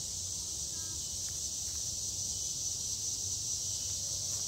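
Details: Summer cicadas keep up a continuous shrill, hissing drone at a constant level, with a thin whistle-like tone running through it and a soft low background hum underneath.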